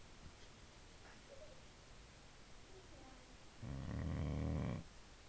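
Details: Female Boxer dog sleeping at home lets out a single loud, rasping snore lasting about a second after a few quiet breaths, in a still indoor room.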